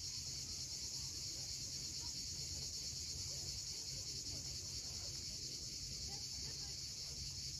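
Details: Steady shrill drone of cicadas at sunset on the Crimean coast at Cape Fiolent, unbroken and level in loudness throughout, over a soft low wash of sea waves.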